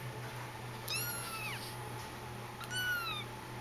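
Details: Persian kitten named Jitterbug, about four weeks old, indoors: two high, thin meows with bright stacked harmonics, each falling slightly in pitch, about 1.7 seconds apart, over a steady low electrical hum.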